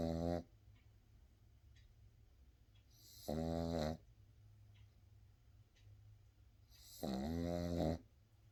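A Boston Terrier puppy snores in loud, rasping bursts about every three to four seconds.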